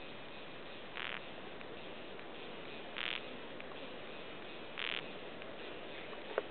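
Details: Calling male Golden Twanger cicada (Diemeniana euronotiana) in a subalpine meadow in south-eastern mainland Australia, its high call only partly captured: short buzzy bursts about every two seconds over a steady background hiss.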